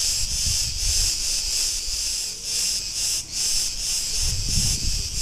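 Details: Continuous high, sizzling cicada chorus from a street in Ierapetra on Crete, Greece, pulsing rhythmically, with a short dip in loudness and low traffic-like rumble underneath.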